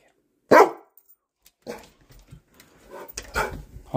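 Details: A female Great Pyrenees, rescued as a puppy, barks indoors at someone at the door: one sharp, loud bark, followed by a person talking and coaxing her.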